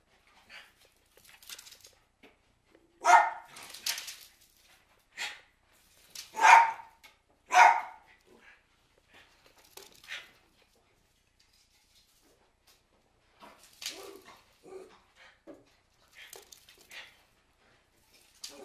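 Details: Cairn Terriers barking as a storm approaches, sharp irregular barks clustered around three to eight seconds, then fainter scattered yaps and rustling indoors.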